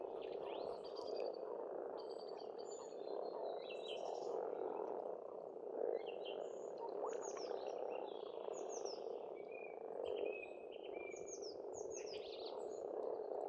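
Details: Massed frogs call without pause at a pond in Estonia in spring, a thick rattling croak chorus, overlaid by frequent short, high, downslurred bird notes and chirps.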